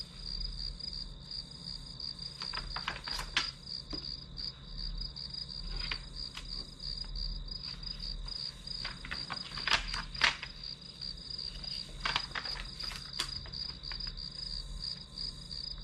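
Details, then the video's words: Grass insects keep up a bright, even pulsing chirp behind a study session's sounds, with frequent tapping and rustling, busiest around three, ten and thirteen seconds. "풀벌레 소리"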